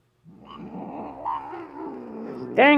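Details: Normally calm female pet cat, grumpy at night: a wavering low growl that rises and falls in pitch, then breaks into a loud, harmonic-rich yowl at the end.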